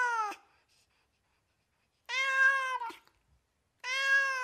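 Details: Domestic cat from America giving three clear meows: a short clipped one, then a longer wavering meow about a second long, then a third steady meow, separated by silent gaps.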